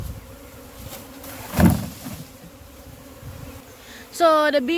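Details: Continuous low hum of a huge honey bee colony being caught from the wild, with a thump midway and a brief spoken word at the close.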